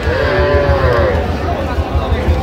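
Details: Sahiwal bull calf, one of a group of 24 gathered by a Jessore farmer, 12 September 2025. A single sustained, level moo opens the moment, then fades under nearby talking and a low thumping rumble.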